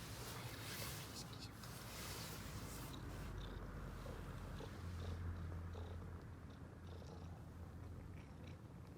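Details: A fed ginger-and-white stray cat, female, purrs contentedly at the sight of people; loud steady low purr with rhythmic pulsing, a faint voice and soft background hiss.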